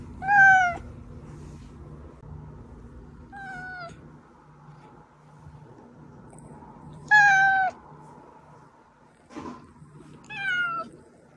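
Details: Domestic cat's meows, played to draw hiding cats out: five short harmonic meows spaced a few seconds apart, each sliding slightly downward, with a low hum in the background indoors.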